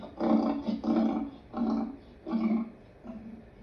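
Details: Lion giving a series of four deep, throaty grunts roughly every 0.7 seconds, each short and rough, fading into a weaker fifth grunt at the end.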